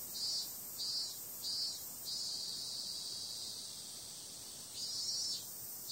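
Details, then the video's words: Summer-night cicadas keep up a high, sizzling drone; four loud buzzy pulses open the recording, the sound evens out, then surges again near the close. "Cicada sound"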